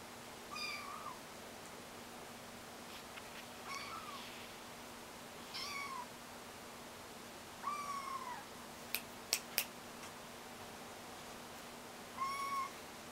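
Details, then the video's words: Kittens learning to walk meow repeatedly, five short mewing calls spread across the stretch, each a brief arched cry, with a few sharp clicks and taps between them. "子猫 Filhotinhos"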